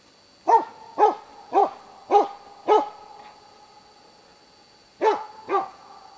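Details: Baying dog keeping a moose cow and her two calves in place, Båthussjön, Huskölen, 2008: five rapid, forceful barks, a two-second pause, then two more, against a faint steady high hum.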